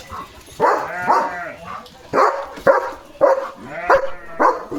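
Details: Pet German Shepherd in a home yard, barking loudly in the morning at a dog passing by the gate; a run of deep, harsh barks about every half second, some doubled, with faint human voices in the background.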